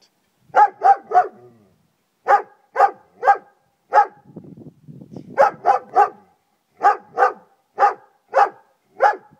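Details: Friska the German Shepherd barks across the garden in repeated loud, rough volleys of three to five barks, broken near the middle by a few seconds of low rumbling growl-like noise.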